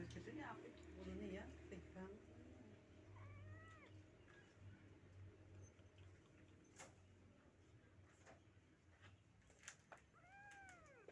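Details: Rescued Persian kittens meowing indoors: a few short arched mews with clear harmonics near the start and end, mixed with people talking and low room rumble.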